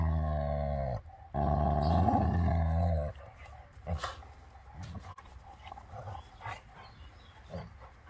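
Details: Beertje, an elderly Labrador over 12, in physical contact with Dakota, a young German Shorthaired Pointer. A loud, rich growl swells for about two seconds, then quieter rustling, panting and soft grunts follow.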